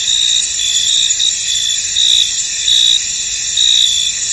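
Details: Crickets in a fog-covered field: a high, continuous buzzing chorus with distinct louder chirp bursts breaking through about once a second.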